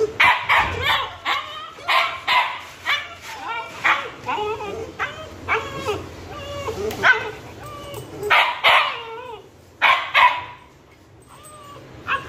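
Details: Husky and Pitbull puppies left on a balcony as a punishment cry out continuously: rising and falling yodelling whines and yelps, often overlapping, repeated in quick succession for about twelve seconds, growing quieter near the end.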